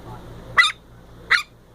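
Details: Long-haired Chihuahua; bark; seeking attention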